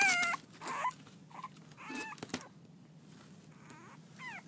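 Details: French Bulldog puppies, six weeks old, playing; a few short high whines and yips come in scattered bursts over a hiss of room noise, the first loud and the later ones softer and bending downward.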